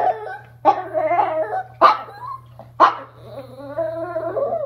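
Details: Talking bathtime chihuahua, a female pet about to turn eleven: gargling, warbling howls punctuated by three abrupt yelps about a second apart, ending in a sustained wavering moan over a constant low hum.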